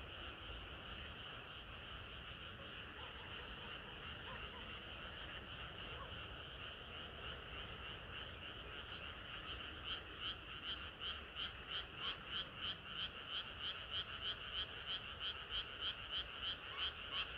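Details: Frogs calling on a hot summer night; a dense chorus hums steadily, then after about nine seconds one nearby frog starts a loud, regular croaking series, roughly three pulses per second, standing out above the others.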